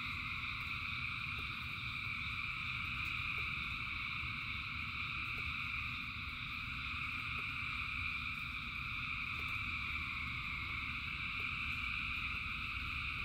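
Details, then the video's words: A massed frog chorus in rainfall: thousands of frogs produce an even, ringing high drone with layered tones, unchanging in rhythm, above a coarse low rumble of falling rain and light clicks. "Frogs in Rain 2 Hours of Frogs, Thousands of Frogs Singing"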